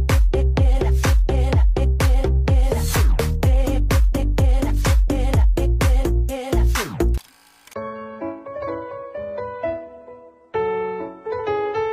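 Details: Loud electronic dance music with a pounding beat gives way to a bright, plucked melody, with no animal sound at all.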